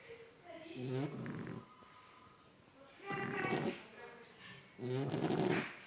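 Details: French Bulldog snoring in its sleep: three raspy, rattling snore breaths, roughly one every two seconds, each swelling then fading, with quiet gaps between.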